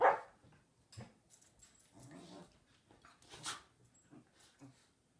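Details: Westie and Samoyed playing together on a lazy afternoon: short low growly bursts and a few soft bark-like yelps separated by quiet gaps, with scuffling sounds between them.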